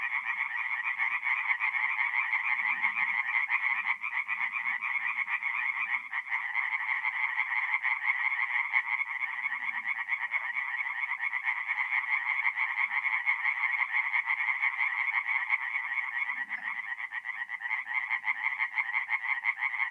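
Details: Dense overlapping song of many tree frogs at a forest pond by night, mid-April in North-East Italy; loud, fast rasping croaks merge into a near-continuous rattle with brief dips, occasional soft low sounds.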